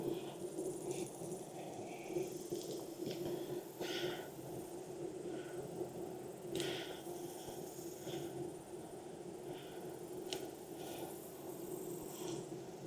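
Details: Honey bees humming at a backyard hive in Texas, opened for inspection on a hot day near 92F after weeks of rain. A steady low drone runs throughout, broken by clicks and scrapes of handling.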